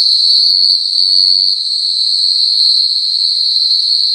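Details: Rainforest animals at night at the Singapore Night Safari: an unbroken, high, shrill whine holds one steady pitch with a fainter higher overtone, while soft low chattering sounds in the first second and a half.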